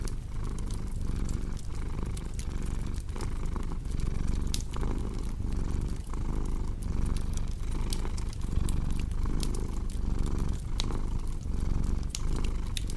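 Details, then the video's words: Purring cat paired with a crackling fireplace: a strong, even, low vibrating purr in steady breath cycles just under a second apart, with bright wood snaps and crackles overlaid. "Purring Cat with Cozy Crackling Fireplace Sound"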